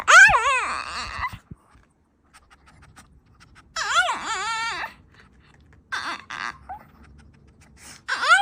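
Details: Dog vocalizing strangely inside a room, several wobbly, up-and-down whining howls lasting about a second each, with soft panting and faint low hum between them.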